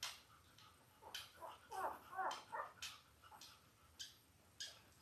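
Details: Five-day-old Labrador Retriever puppies from Belle's litter of eight born October 15, 2023, on an indoor puppy cam; a brief run of curving, squeaky whimpers mid-clip amid soft bumps and rustling clicks.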